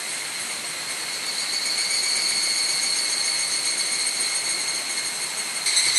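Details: Many evening cicadas on a cloudy July evening in 2011 on the Mount Hokyo hiking course, Tsukuba, Japan; an unbroken high shrill drone that grows slightly louder, with a brighter burst at the very end.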